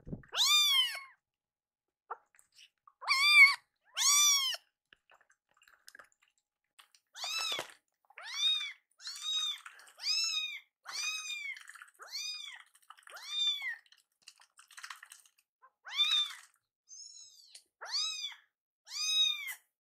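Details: Pair of rescued kittens, hungry and upset over a late meal, meow repeatedly indoors: a steady run of short arched cries roughly every second, some louder and bright, others thin and softer, with light rustles between.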